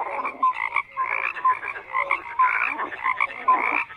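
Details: Croaking frogs calling in distinct rasping bursts separated by short gaps, about two bursts per second, with bright brief whistled notes between the grating croaks.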